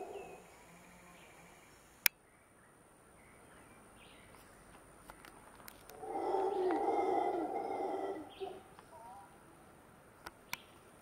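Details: Howler monkeys howling above a seasonal stream in the jungle on the way to Montezuma, Costa Rica. A distant, rough roaring swell builds near mid-clip, lasts about two seconds and fades, over a steady hiss with faint chirps and a few sharp clicks.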